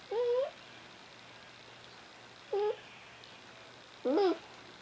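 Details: Eres, a female Cardigan Welsh Corgi puppy about ten weeks old, whining while playing with her toys: three short, tonal, nasal whines, each wavering and falling, about two seconds apart, over a faint steady low hum.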